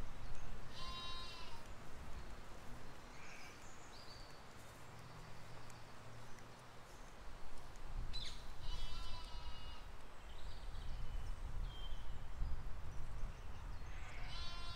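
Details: Grazing sheep and lambs in a spring 2020 field: a bleat with a reedy, harmonic tone opens the clip, another sounds near the middle, and a third begins at the end. A constant low rumble of wind and ambient noise runs underneath.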